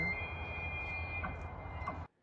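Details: A bull elk, one of many driven down by weird weather and fires, bugles: a long, high, pure whistle held nearly level for about two seconds over a deep, rough rumble, stopping abruptly.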